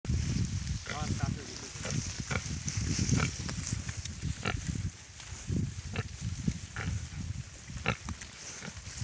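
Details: Piglets grunting and squealing in short bursts spread across the clip, with low rumbling grunts throughout and a few sharper high squeals; human voices can be heard in the background.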